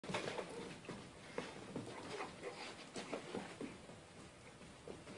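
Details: Three pet dogs indoors in a small room, a Jack Russell Terrier puppy, an adult Dachshund and a Rottweiler, playing together: soft low growls and whimpery grunts mixed with scuffling, paw patter and thumps, fairly quiet throughout.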